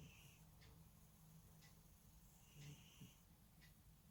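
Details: A sleeping pet cat snoring: a faint, steady low rumbling wheeze that runs without a break, with a few brief higher ticks and rustles on top.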